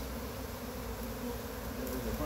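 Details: Honey bee swarm on a pine tree in Chattanooga, being gently brushed off the branches into a box with frames during swarm catching; a steady, dense low droning hum fills the whole stretch, with a few quiet words from people nearby.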